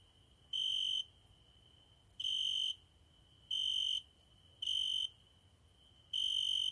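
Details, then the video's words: A cricket singing at night by a window: five loud, high, buzzy trilled bursts about half a second long, spaced one to one and a half seconds apart, over a faint steady background hum. "My private cricket singing every night at my window"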